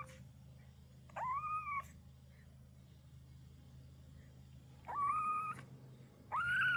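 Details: Kitten crying, its voice described as cute and endearing; three rising-then-level mewing cries, each under a second, spaced irregularly over a constant low electrical hum.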